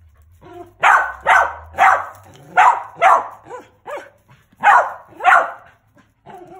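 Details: Male mountain feist named Bob, a started squirrel dog, gives loud, harsh barks mostly in pairs, spaced irregularly, followed by quieter yips near the end.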